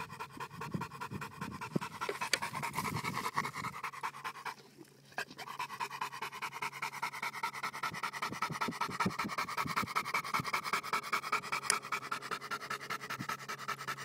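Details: Rapid huffing breaths from Bowzer, a Johnson American Bulldog, roughly two and a half pants per second after a few lower thumps at the start and a brief pause, with a steady hum behind.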